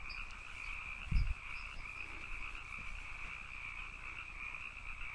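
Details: Canyon frogs calling in a steady, dense chorus with two continuous droning bands, one high and one lower, plus brief thumping low bursts near the start.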